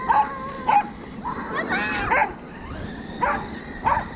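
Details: Welsh Corgi dog barking while chasing a remote-control car, recorded 13 February 2021; sharp yips and barks repeated about every half second to second, with a whining, rising sound and a whirring motor in between.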